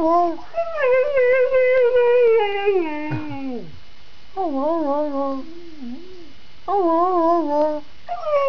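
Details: Snow dog urged to sing and 'say' words indoors, giving a string of wavering, whining howls: one long note that sags and drops away, then shorter warbling phrases rising and falling, with a person coaxing between them.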